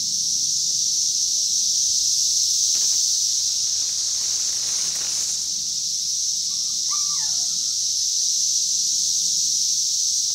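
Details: High continuous cicada buzz recorded in 2021, with a brief rustle or knock, a soft bird note early on and a short rising whistled bird call near seven seconds.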